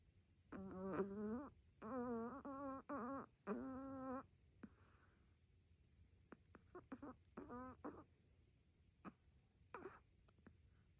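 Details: A sleeping Chihuahua makes soft, wavering nasal whimpers and groans, several held about a second, then short broken grunts and snuffles in a quiet room; the owner is unsure whether it is snoring or sleep-talking.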